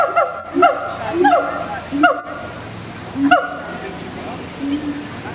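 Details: Loud whooping notes from gibbons kept at Singapore Zoo: short, sharply rising tonal sweeps with strong harmonics, repeated in uneven bursts about every second over a low murmur.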